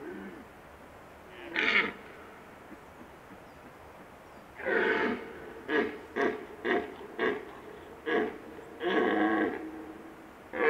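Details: Red stag with facial paralysis, the right side of its face drooping, gives one short bellow, then a long roar followed by a string of about five staccato grunts and another extended roar.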